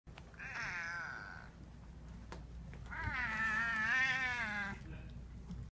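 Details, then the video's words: Domestic cat greeting and said to be starving, in its distinct voice: two long, wavering, harmonic meows, the first about a second long, the second louder and drawn out nearly two seconds, with a low steady hum behind. "Archie Says Hello"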